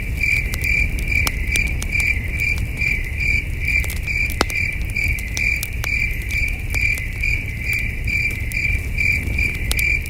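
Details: Crickets chirping at night beside a campsite under a starry sky, heard from a distance: steady high chirps about two or three times a second, over the soft crackle and pops of a campfire and a low rumbling background.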